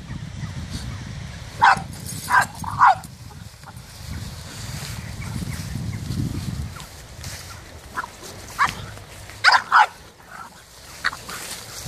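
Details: French Bulldog attacking a cow outdoors: short, sharp barks in two bursts, three close together early on, then more spaced yelps later, over a steady low rumble of movement and wind.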